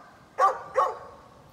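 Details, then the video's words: Neighbour's dog barking on 11-13-2020: two short, sharp barks about 0.4 seconds apart, each a bright burst with a strong mid-pitched core, over a quiet background. "Neighbor's barking dog"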